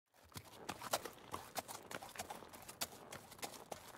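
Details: Horse trotting, hooves striking hard ground in sharp, irregular clip-clop knocks several times a second, each a crisp broadband click, with a faint steady background hiss.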